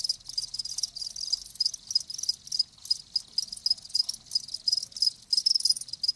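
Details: Crickets, kept live, chirp in a loud high trilling chorus, quick pulsed bursts repeating without pause, a faint low rumble early on.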